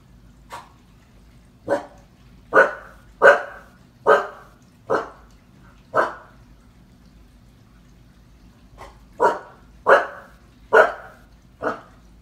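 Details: Seven-month-old female Husky puppy, indoors, frightened by a paused clown from the movie IT on the TV, barks sharply in two bursts of loud, single barks roughly a second apart, with a short quiet gap midway.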